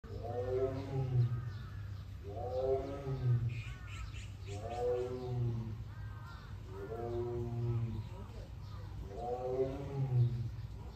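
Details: Male Siberian tiger born 2013, kept at Seoul Grand Park zoo, filmed 22 June, calling near an iron door: five drawn-out, arching moaning roars about every two seconds, each rising then falling, over steady low engine-like hum and faint bird calls.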